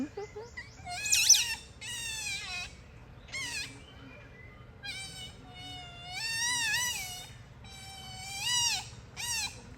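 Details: Otters playing together in daylight, giving a run of high, clear chirps and wavering whistles that rise and fall, some bending sharply. Calls come in bursts with short pauses, and faint human voices sit in the background.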